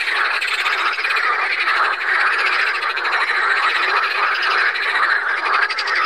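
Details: Water frogs of the genus Pelophylax calling together at Saint Orens de Gameville. A thick, constant rattle of overlapping croaks, rhythmic pulses pressing through the whole stretch.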